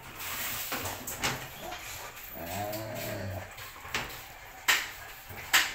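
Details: Belgian Malinois with a bone gives a low, drawn-out harmonic growl lasting over a second, surrounded by breathy panting bursts and a few sharp clicks.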